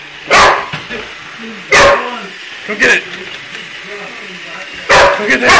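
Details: Shoeless, a pet Boxer, challenging a toy robot; four loud, scattered barks separated by quieter gaps filled with warbling, voice-like electronic tones from the robot.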